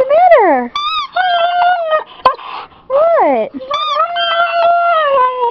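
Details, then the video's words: Squeaky toy squeezed for a Siberian Husky, who answers with sharply falling yelping cries alternating with longer level whines, plus a brief sharp click and light human speech. "Siberian Husky (Jerry Lee) crys with toy"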